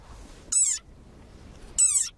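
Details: A very angry desert rain frog gives two shrill, squeaky cries like a squeezed dog toy, its war cry.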